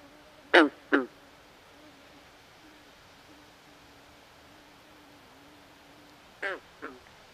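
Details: A swamp frog at night utters two loud, clipped, quacking croaks in quick succession, falls silent for about five seconds, then repeats a softer pair, while a faint low steady tone runs underneath.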